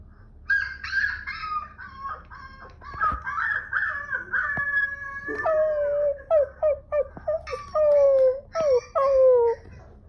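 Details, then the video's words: Two-month-old Siberian husky puppy, hearing other husky puppies howl for the first time; long wavering howls sliding downward, then a run of short yelping howl bursts, clear and loud over a faint low hum. "Baby husky reacts to other baby huskies howling for the first time"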